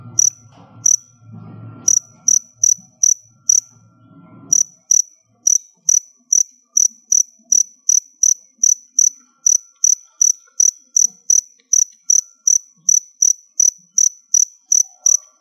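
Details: A stored cricket colony filmed around molting time gives shrill, high chirps. They are broken and mixed with low rumbling handling noise for the first four seconds, then run clean and steady at roughly two and a half per second.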